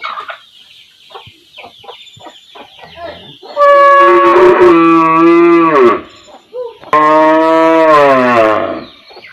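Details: Faint short clucking-like sounds come first, then a standing village cow calling her calf gives two loud, long harmonic moos of about two seconds each, pitch sliding downward at their ends.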